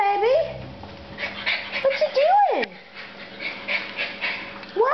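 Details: Puff Daddy, a tiny 14-ounce schnauzer puppy at 14 weeks old, gives high whining whimpers that slide up and then down. A woman coos baby talk to him throughout.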